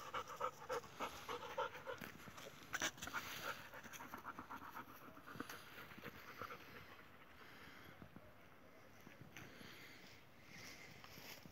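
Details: Kangal dog out on a walk with companions: rapid, breathy panting about three to four breaths a second, fairly steady, with faint voices and background noise.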